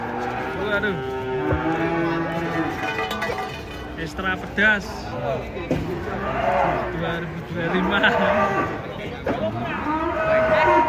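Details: Giant cattle being unloaded from a truck: several overlapping harmonic moos and bellows throughout, mixed with voices and handling noise.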